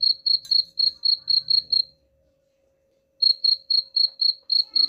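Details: High cricket chirps, said to chase rats away, come in a quick string of about seven pulses, pause for over a second of silence, then return at the same brisk pace.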